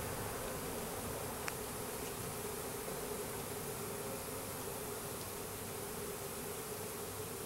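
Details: Russian/Carniolan hybrid honey bees from a 3-pound package of about 10,000 workers with one queen, being installed into a new hive in April; a steady, dense hum with a band near the low midrange throughout, one faint click.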